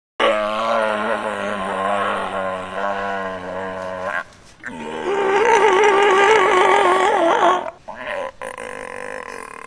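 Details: A captive California sea lion at an aquarium gives two long, hoarse, wavering calls, each held for several seconds.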